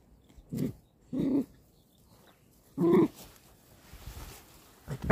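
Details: Dog barking indoors: three short, sharp barks spaced about a second apart, then a pause and a louder single bark near the end, with quiet background between.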